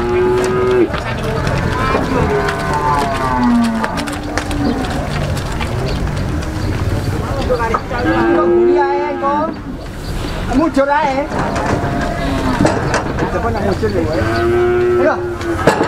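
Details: Cattle jumping up onto a truck, lowing in long, drawn-out moos that waver and fall in pitch, heard at the start, middle and end, while people talk loudly throughout.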